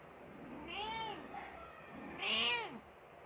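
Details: Grieving mother Persian cat crying after her kitten died: two drawn-out, arching meows, the second louder and higher, with a quiet gap between them.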